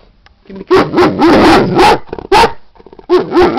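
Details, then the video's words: Female Great Dane asking her owner to be let out, giving a run of loud, whining yelps that waver up and down in pitch, then a brief pause before two more similar pleading cries. "My great dane beauty telling me she has to go out"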